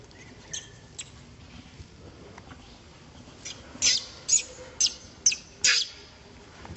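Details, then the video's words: Hurt baby monkey crying while an older monkey drags its hands, faint squeaks at first, then five loud, piercing, noisy squeals about every half second in the second half. "baby monkey 🙈 crying showing his hurt when old monkey drag hands"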